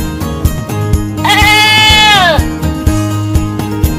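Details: Goat giving a single long, wavering bleat that falls in pitch at the end, lasting about a second, over steady background music.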